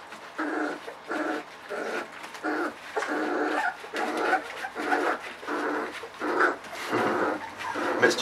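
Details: 3.7-week-old puppies from Ava's litter at the evening puppy-mush round. Drawn-out whining cries repeat roughly every second in a steady rhythm, with a low constant hum underneath.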